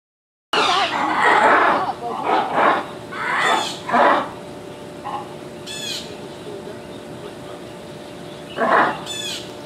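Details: Ring-tailed lemurs at Miami Zoo, several up in a structure while another below makes a lot of noise: loud, harsh, harmonic call bursts repeated at irregular intervals, fading between outbursts, with people talking nearby.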